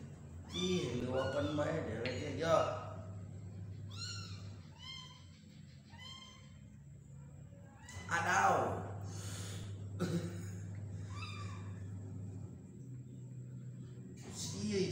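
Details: Kitten being hand-fed indoors, giving a series of short, arched, high meows at irregular intervals, a louder pair near the middle, with human voices talking and a steady low hum throughout.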